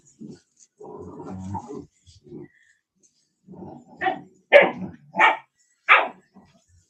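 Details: Cane Corso, an Italian Mastiff, from a breeder an hour west of Nashville, Tennessee: a low grumbling growl at first, then a quiet pause, then four loud, sharp barks spaced roughly a second apart.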